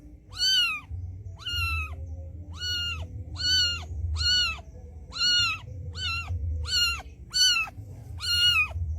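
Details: A street-living mother cat calling her white kitten over: a rapid run of about ten short, flat-topped meows, nearly one per second, over a low background hum.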